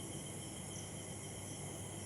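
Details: Several crickets trill in an unbroken shrill chorus at a few high pitches over a dull low rumble, heard from a balcony in Chakdaha on a cloudy, starless evening just after rain, with a light breeze.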